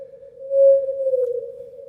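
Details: Blue whale song recorded 650 miles away and sped up 30 times to be audible: a steady, pure humming tone that sags slightly in pitch.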